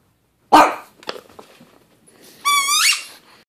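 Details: Frustrated pug wanting its ball thrown: one sharp bark, then small snuffling noises, ending in a high rising squeaky whine.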